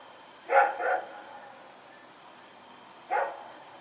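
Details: Rex, a dog running around at night, recorded on 21 September 2018, gives a quick pair of rough, mid-pitched barks, then a single bark after a silent gap of about two seconds.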